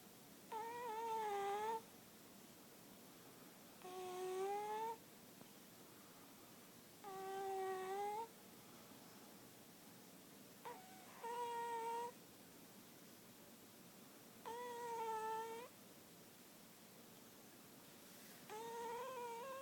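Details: A sleeping cat named Lily Bean snores steadily indoors. Six whistling, tonal breaths of about a second each come roughly every three seconds, some bending slightly upward in pitch, against a quiet room background.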